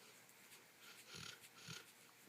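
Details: Dog snoring while asleep indoors as its owner tries to wake it; two soft, breathy snorting rasps about half a second apart, the sound quiet and airy.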